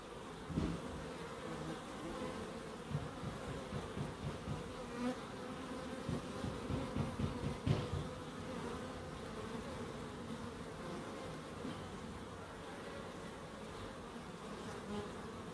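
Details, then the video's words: Bees at a small wildlife garden in Crookes with bird boxes and a pond, continuous low humming buzz with overlapping wingbeats, louder fluctuating passes between three and eight seconds, then a steadier drone. "1hr of Relaxing Bees"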